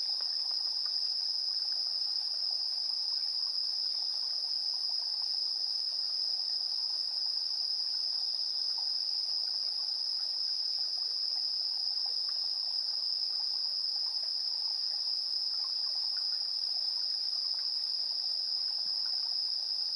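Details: Evening insect chorus at 7:04 PM, 3 September 2022, captured with a TASCAM Portacapture X8: one continuous shrill ringing tone dominates throughout, with a fainter higher band and soft, irregular lower ticks.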